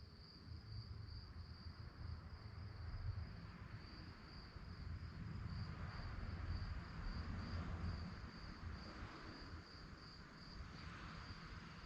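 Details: Night-time crickets chirping in rapid, evenly spaced high pulses, about four per second, a steady shrill band running over a deep background rumble.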